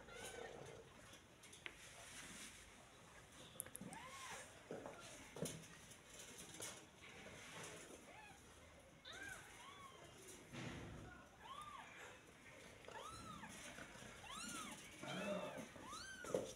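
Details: Newborn kitten, a day old, giving a series of soft, thin arched mews, rising then falling, repeated in quick bursts toward the end over steady background hiss.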